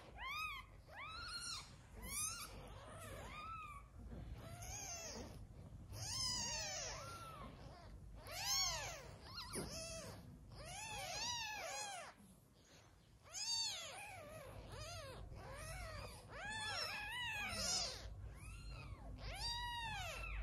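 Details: Newborn kittens of a mother cat whose milk is not enough, hand-fed: rapid, persistent high-pitched mewing cries in short arched bursts, several kittens calling over one another almost without pause for twenty seconds.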